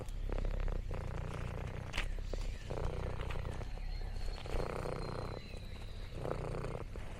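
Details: Lexi, an orange tabby cat, purring contentedly while exploring a farm in the countryside; steady low rumbling purr in rhythmic bursts, each under a second with short pauses, over soft rustling and faint crackling.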